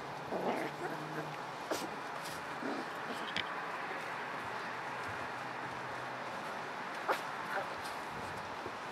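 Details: Puppies at play, said to be hungry, giving brief thin whimpers and yips near the start over a steady rustling background, with scattered clicks and a person speaking.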